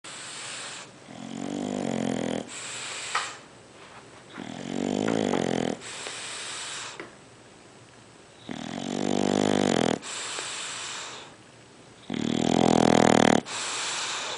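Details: Sleeping dog named Sergeant Carter snoring indoors: five loud buzzy, rattling snores, each lasting about a second, separated by quieter breathy pauses of one to two seconds.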